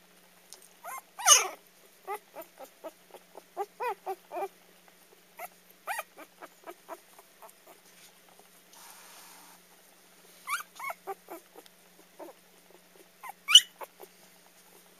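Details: Young dog finding her voice for the first time: a series of thin, high squeaky yips and whines, short and repeated in bursts, with a couple of louder rising squeals; otherwise quiet indoors.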